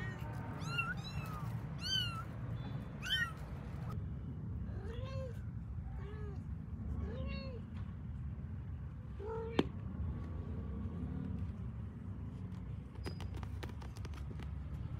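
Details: Pet kittens calling as they seek their mother: a quick series of piercing rising squeaks, then several softer, lower, drawn-out meows, fading into a quiet low hum with a sharp click.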